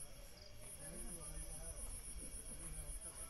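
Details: At about 6:30 pm on a winter evening at a tent camp in Purulia, India, crickets keep up a thin, high, evenly pulsed unbroken trill, with low human voices and a faint outdoor rumble beneath; cricket.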